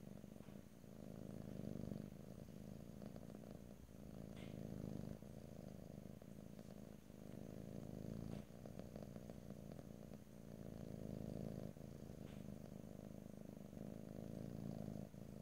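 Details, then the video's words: Domestic cat purring steadily, a low rumbling hum in long phrases broken by brief pauses for breath roughly every one and a half to two seconds; faint soft clicks and rustles in the background. "ASMR Cat: Purring"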